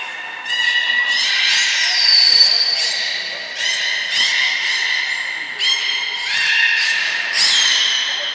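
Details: Three captive belugas, Hodoi, Taanya and Mirai, in training at Nagoya Port Aquarium, Japan, 1 November 2020. Several nasal, harmonic squeals and whistles follow one another in quick succession, some rising or wavering, echoing in a large hall.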